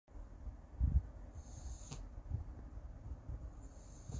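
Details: Sleeping Siamese cat snoring: low, rumbling breaths come in soft bursts every second or two, with a faint high hiss in the background.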